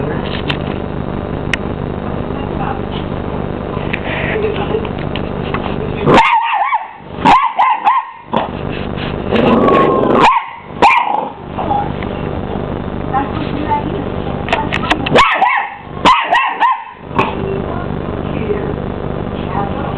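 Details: Twelve-week-old Miniature English Bull Terrier puppy squaring up to a running hoover, giving short, sharp barks and yips in bursts over the steady droning roar of the vacuum cleaner.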